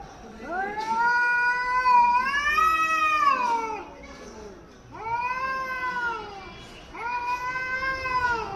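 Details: Caterwauling from an angry cat facing another cat in Hyderabad: a loud, drawn-out wail that rises then sags, followed by two shorter, arching moans, each separated by a brief lull.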